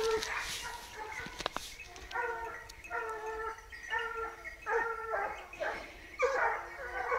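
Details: Hunting dogs on a wild boar hunt bay as the boar finally passes in front of them, giving long, ringing bays in a steady series, each drawn-out note rising and falling slightly.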